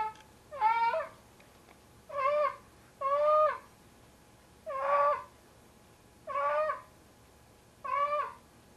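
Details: Tigger, a large male domestic cat of about 25 pounds, carrying his 'kitten' (a pair of socks) to bed at night, gives loud wailing meows with rich harmonics, six calls spaced about one to two seconds apart in a quiet indoor room.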